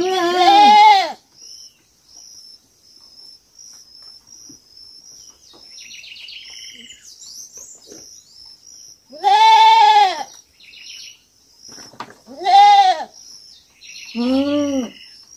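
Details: Young goat bleating on a farm: four loud wavering bleats spaced several seconds apart with quiet gaps between, a steady high insect-like whine running throughout and faint softer calls in the background.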